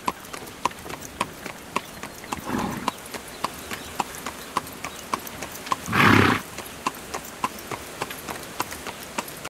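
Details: Horse drawing a carriage, regular clip-clop of hooves throughout, a softer burst near 2.5 seconds and a loud, harsh burst around 6 seconds.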